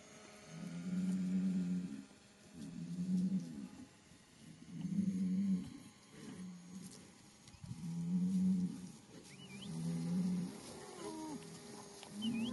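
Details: Hereford bulls bellowing: deep, low moans about a second long, repeated roughly every two seconds in a steady series, with faint background noise and a few higher squeaks near the end.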